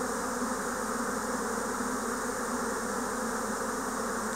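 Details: Spring 2024 swarm of Japanese honeybees: an unbroken, thick buzzing drone of countless wings, even in loudness throughout with no other sounds standing out.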